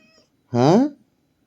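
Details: Pet cat indoors, possibly called Brownie, gives a single loud, drawn-out meow lasting about half a second, rising then bending down, with quiet human talk just before and after in a small room.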